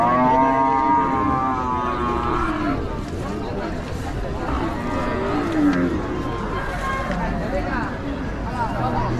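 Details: Cattle being unloaded in a village: a long, low harmonic moo opens the recording, followed by further lowing amid busy crowd chatter and vehicle noise outdoors.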